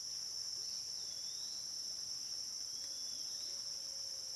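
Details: Night on the Licking River at Morning View: cicadas keep up a constant shrill hum at a single high pitch, while faint gliding whistles drift in the background.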